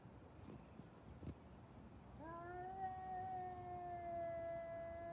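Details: Cat during a fight, letting out a single sustained rich harmonic yowl that starts after two seconds and holds steady, slightly falling, to the end; faint knocks before it.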